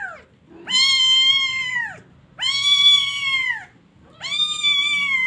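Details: Loud crying kitten, three long wailing meows each lasting over a second, starting high and sagging at the end, separated by brief gaps.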